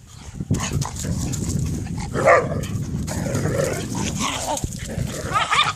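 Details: Dogs fighting, a dense rough mix of growls and snarls with a few yelping peaks, constant low rumble throughout, some higher squeals near the middle and end.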